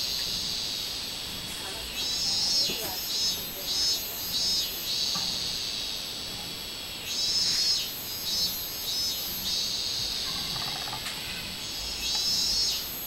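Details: Robust cicada recorded 24 July 2016: loud, shrill phrases of rapid pulsed notes surge roughly every five seconds over a constant high buzzing background chorus.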